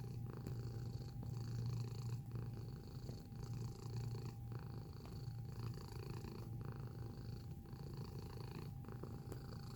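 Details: Steady low purring from a cat at close range, a buzzing rumble broken into breath cycles roughly every one to two seconds, strongest early on, with a faint background hum throughout.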